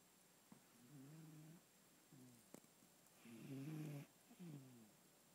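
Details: Cat asleep and snoring indoors, rough low buzzy breaths rising and falling, the loudest a long rasping snore near the end, with small clicks and soft room hiss.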